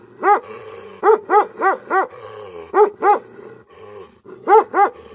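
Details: An angry Bhote Kukur, the Tibetan Mastiff, barks heavily. One deep bark is followed by a rapid run of four, then a pair, a pause, and a final pair, all low and richly harmonic.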